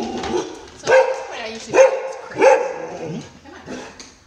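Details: Rudy, a skittish, under-confident poodle who cowers, barks and shakes around new people, gives three loud, sharp barks about a second apart, then a softer one, with a human voice alongside.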